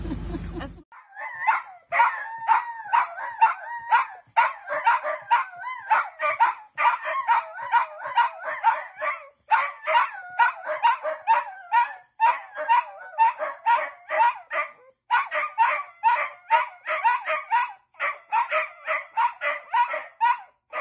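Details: Dachshund, a pet sausage dog, barking in a rapid, continuous run of sharp, mid-pitched yaps, several per second with brief pauses, for about twenty seconds in a quiet indoor setting.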